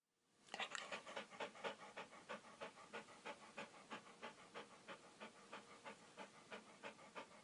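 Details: A happy, food-hungry Alaskan Malamute, eager for more food, pants in quick, breathy bursts, about three each second.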